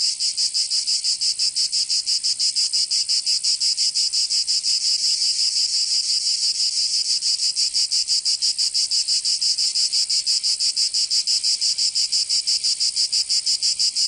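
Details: Provence cicadas in summer, southern France, produce an intense, even buzzing chorus pulsing rapidly about three times a second, constant in volume with nothing else audible.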